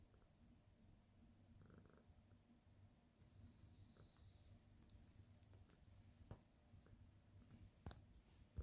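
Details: Senior tabby cat Abby Tabby kneads contentedly indoors on 4/27/2023, purring as she greets her owner; a continuous deep, throbbing rumble, broken by a few sharp taps and light rustles near the end.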